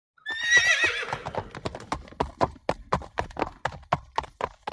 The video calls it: horse sound